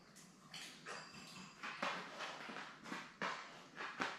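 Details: Labrador Retriever litter of seven newborns, four females and three males, with mother Belle on a live puppy cam; a run of thin whimpering squeaks repeated roughly every half second, with faint rustling.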